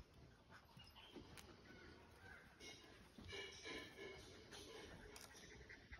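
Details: A 37-day-old English Cocker Spaniel puppy at playtime gives soft, high whimpers and faint panting amid rustling noise.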